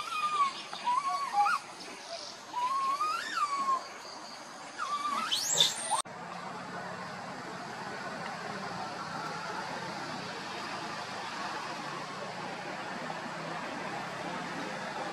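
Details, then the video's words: A tiny monkey wanders and cries loudly near its group: several wavering, whining cries rise and fall in pitch over about six seconds, then give way to steady noise. "tiny monkey Boston walk wandering his group try crying loudly call"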